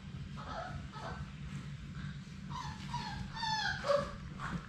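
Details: Labrador Retriever puppies, one of Sadie's litter of six, play-attack a GoPro camera up close in their puppy play room. High, thin whimpers and short yips grow louder toward the end over a steady low hum.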